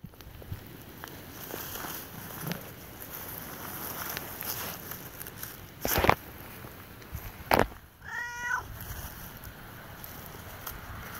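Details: Pet cat keeping watch outdoors at night lets out one clear, bending meow near the end, after a stretch of rustling, thumps and sharp clicks over a steady background hiss.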